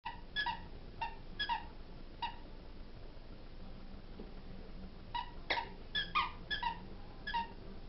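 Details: Rudi, a 4-month-old English springer spaniel puppy playing with his favourite toy, gives short, high, squeaky whines and yelps in scattered bursts.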